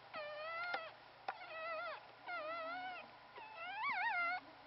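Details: Newborn Pomeranian puppy, the sole survivor of a litter of three, sired by a Pomeranian out of a part-Pomeranian mix, in its first two weeks: four wavering, high whines, each under a second, with a wobbling pitch over a faint low hum.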